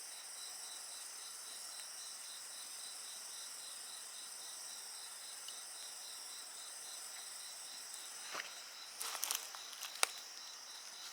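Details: Insects trill in steady high pulses alongside a bonfire; the shrill chorus runs unbroken while several sharp crackles and snaps from the burning wood burst out near the end.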